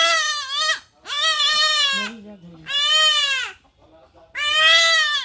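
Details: Goat kid undergoing castration, calling repeatedly in pain. Four loud, raspy, quavering bleats about a second each come in quick succession, with a low human voice heard briefly between them.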